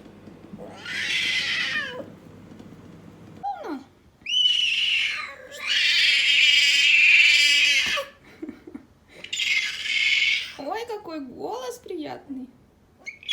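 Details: Young female leopard kept as a pet, giving long, harsh, high-pitched yowling screams of one to two seconds each, broken by short pauses and a few lower wavering moans.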